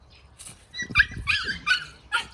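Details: Young puppies, born January 2021 to a small mongrel in Seongsu-ri, Hongcheon County, Gangwon Province, playing at a grandmother's home in spring. Several high, squeaky yelps and yips come in quick irregular bursts over about a second and a half.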